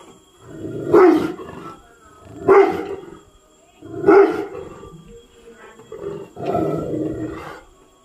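A Rottweiler gives deep, heavy barks, each one drawn out and almost roaring.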